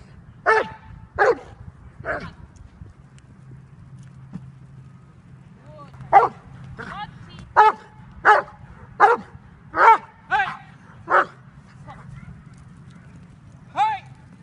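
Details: At bite training in October 2015, the Dobermann Jovanotti Unreachables, almost five years old and bred in Serbia, gives three barks, pauses during low voices, then fires a rapid irregular volley of about eight barks and a final one.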